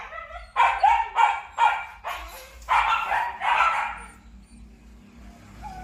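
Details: Purebred Malinois, a Belgian shepherd dog at a Vietnamese kennel, barks in a run of five sharp, loud barks roughly every half second, then falls quiet with faint background hum.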